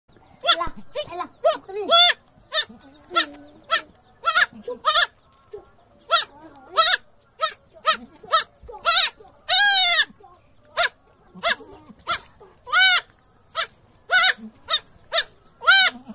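A young goat bleats over and over in short, high, quavering cries.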